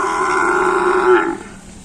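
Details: Cattle during training for karapan sapi bull racing at the Tempuran field, Java. A single loud, steady, droning moo lasts over a second, holds an even pitch, then cuts off into background murmur.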